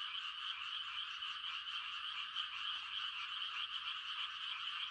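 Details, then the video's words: Many frogs giving mating calls on a still country night in rice-planting season: an unbroken, even, high-pitched trilling chorus with no individual caller standing out. "The sound of frogs on a quiet country night"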